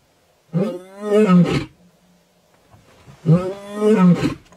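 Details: A big lion in Kenya's Maasai Mara gives two deep, rasping roars, each swelling and then fading over about a second; Lion.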